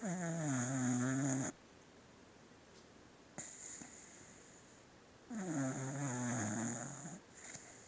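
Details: A sleeping beagle snoring indoors: two long, rasping inhaled snores with a low buzzing harmonic tone, about two seconds apart from a quiet exhale gap, with a steady high hiss in the background.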